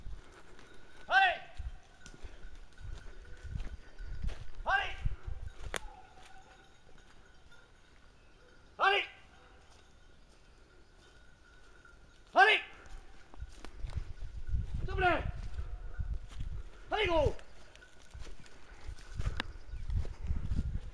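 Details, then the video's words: Running hounds hold a wild boar at bay, giving spaced, drawn-out bays every three to four seconds, six in all, with rustling, footsteps and low rumbling movement in the background. "chiens courants au ferme sur sangliers"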